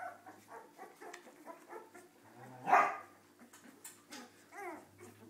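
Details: Misbehaving Cardigan Welsh Corgi puppies yip in a busy, overlapping chatter, broken midway by one loud, harsh bark, then a few whiny, wavering squeaks over a low background hum.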